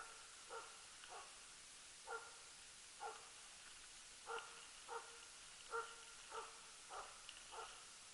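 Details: Barking of the Jämthund Rapp on a loose-dog elk hunt in 2012: distant, steady barks spaced roughly every half second to a second, each bright and clipped, with a quiet backdrop.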